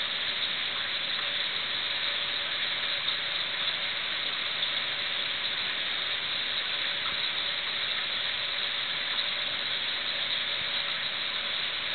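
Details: Steady hiss and pump hum of a home reef aquarium, with no animal sounds.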